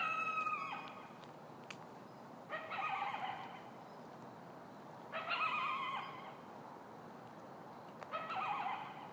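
A lone coyote gives short, wavering howls about every three seconds.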